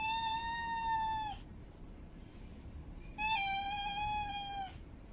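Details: Two long, steady yowling meows from a female cat in heat, the first held over a second, the second starting after a pause, both evenly pitched with strong harmonics.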